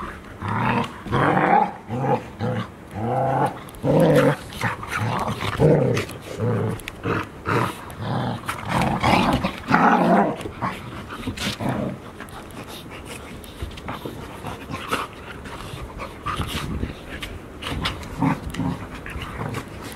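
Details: Golden Retriever puppies, five of them aged 144 days, at play in Ain village, Japan, September 2018; bursts of deep growling repeat about every second for ten seconds, then quieter grumbles and scuffles follow.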